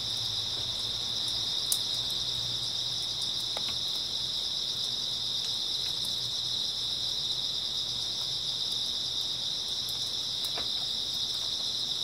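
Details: Grass insects on an early autumn night, a dense continuous high chirping chorus holding steady without pause, with a few faint clicks and no other clear sounds.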